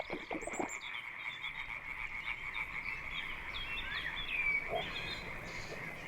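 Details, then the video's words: Night chorus of European tree frog mating calls in a flooded Dutch swamp forest: a steady stream of fast, high-pitched croaking pulses forms a constant buzz, with a few brief chirps and soft knocks over it. "the tree frogs mating call drowns out all other nocturnal sounds"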